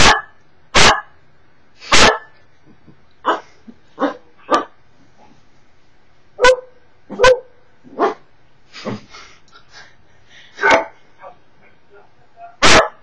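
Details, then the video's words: Cocker Spaniel indoors barking at videos; strong sharp barks alternate with weaker, shorter yips and quiet stretches, spaced irregularly over the recording. "Cocker Spaniel Emmy bellt nach you tube videos"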